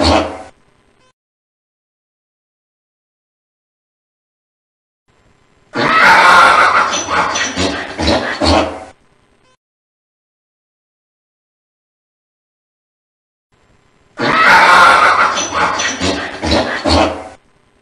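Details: Donkey braying in two loud, harsh, rasping bouts of about three seconds each, separated by long silences, with a short burst at the very start.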